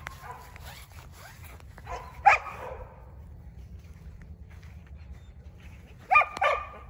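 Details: Border Collie pups at 49 days old, German-sired and Russian-dammed, filmed 7 June 2022, give two isolated squeaky yelps about four seconds apart, with quiet rustling between them.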